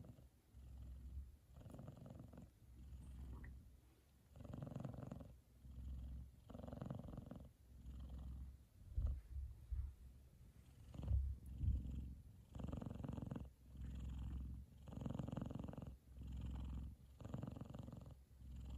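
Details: Sleeping F2 Savannah cat Kumba, happy with brother Taj lying across his head, gives a loud contented purr; low buzzing pulses rise and fall with slow breaths, roughly one every second, a few louder snort-like bursts midway.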